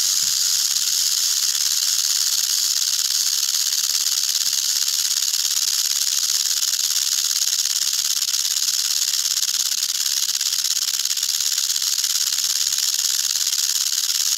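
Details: Eastern diamondback rattlesnake (Crotalus adamanteus), a venomous snake, shaking its tail rattle in one long, even, dry, high buzz that holds constant from start to finish with no break.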